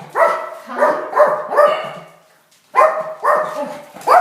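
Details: A tiny dog reacting to the doorbell and visitors: three quick yappy barks, a short silence, then three more sharp barks in quick succession.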